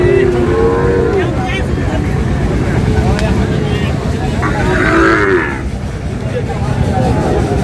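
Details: Sahiwal bull calves at a Sylhet cattle market in Bangladesh, 22 May: a short moo at the start and another brief bellow near the middle, with constant crowd and vehicle noise and some speech between.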